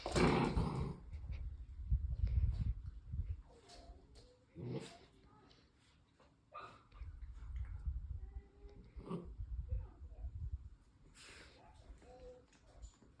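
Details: Two Labrador Retriever puppies, littermate brothers, give low rumbling growls in uneven bursts, broken by a few short, thin, tonal whimpers in the second half, with soft scuffling and handling noises between.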